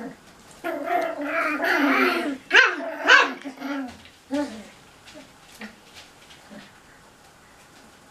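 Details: Cocker Spaniel puppies at play in a bathroom, giving a burst of high, harmonic yelps and squealing barks packed together for about four seconds, then fading to scattered small yips and scuffling in the small room.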